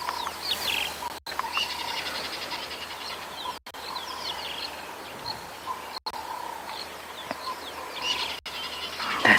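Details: On a humid, windy afternoon safari on 22 December 2021, a squirrel keeps up a steady, rapid alarm chatter of dry clicks for minutes after a lion passed, over insect hum and faint bird chirps.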